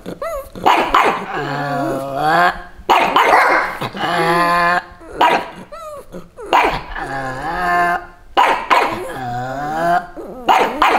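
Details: Lilly and Lucy, two pugs in Santa costumes, guard their territory against bleating sheep with drawn-out, growling barks that rise and fall, repeated in bursts roughly every two seconds with short gaps between them.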